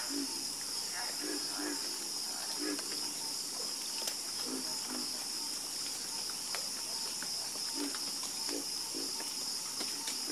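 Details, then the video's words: Frogs croaking together in a chorus, with brief low notes popping up unevenly from several animals beneath a loud, steady, high buzzing background and thin clicks. "Calming Sound Of Harmonious Frog Croaking"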